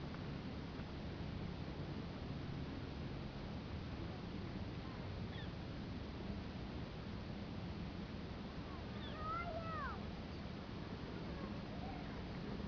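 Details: Large pack of coyotes running nearby in the Sonoran Desert of Arizona, heard from a hilltop ledge: after quiet hiss, a brief cluster of faint, wavering, sliding yips and howl-like notes rises and falls near the end.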